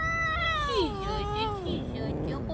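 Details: A street-living stray cat being petted lets out one long, drawn-out meow that wavers gently before sliding down at the end, over a steady low background hum.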